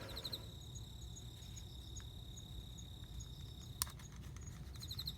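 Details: Courting male cricket singing to attract a female for mating, September 29: a continuous high-pitched ringing tone sustained for nearly four seconds, with brief pulsed chirp bursts at the start and end, one sharp click, and low steady rumble beneath.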